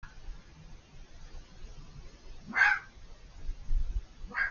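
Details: Fox screaming unseen on the other side of a hedge: one harsh, hoarse burst near the middle, with a second starting at the very end, over low rumbling background noise.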